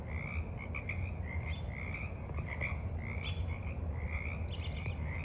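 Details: Several frogs croak in quick, overlapping bursts over a steady low rumble at the edge of a forest pond in the evening, 28 March 2023, with ducks and birds around; finding: frog.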